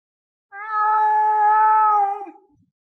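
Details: A lynx gives a single drawn-out meow of about one and a half seconds, steady, level and richly harmonic, ending in a brief falling tail; nothing else heard.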